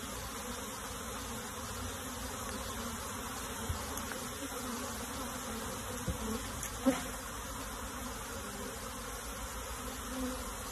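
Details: A dense, steady drone of many honey bees buzzing together, with a few soft knocks, as the bees are moved into a box.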